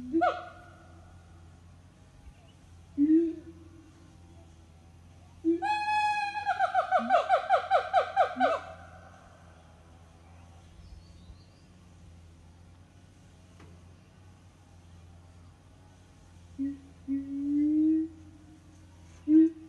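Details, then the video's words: Siamang family singing in the morning at an eco-tourism farm; a few low booming notes, then a loud rapid series of rising-falling barks around the middle, and more low booms near the end. "Good morning song from Siamang Family"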